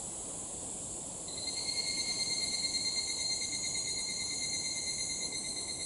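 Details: Evening cicada (higurashi) calling at dusk, when it is usually heard: after about a second a high ringing tone sets in and holds steady with faint pulsing, layered over a constant shrill hiss of background insects.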